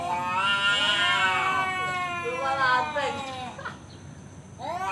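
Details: Fight challenge from a male cat: harsh, loud wavering yowls falling in pitch, trailing off into quieter moans, then a fresh rising howl at the end, with a man's voice nearby.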